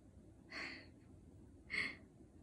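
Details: Hong seol, a white male Pomeranian begging for sweet potato at home, lets out two short, breathy, high-pitched vocal bursts about a second apart, each with a brief whining tone, over faint room noise.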